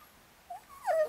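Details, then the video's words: One of Bess's four-day-old Chihuahua puppies with its mother in Fredericksburg, Virginia, from a litter of four males and a female. There is a short soft whimper, then a louder falling whine. "Bess' Chihuahua Puppies"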